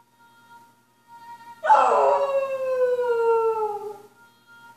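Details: Gracie, a Cocker Spaniel, howls along to Hayley Westenra's Quanta Qualia in coyote-like fashion. One long harmonic howl bursts in suddenly and slides slowly downward for about two and a half seconds over soft, steady musical notes.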